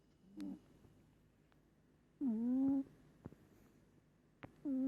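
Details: Pet cat Moli snoring hard in her sleep: a short soft snort, then two longer droning, tonal snores with rich overtones, roughly two seconds apart, in a quiet indoor room with faint ticks.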